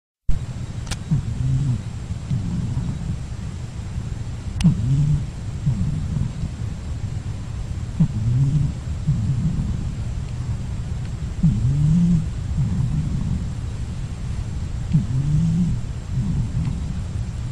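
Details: Pet cat named Mourek sleeping and snoring while resting before another nap before lunch; low rumbling snores repeat roughly every three and a half seconds, each breath rising and falling in a soft rasping cycle, with steady background hum.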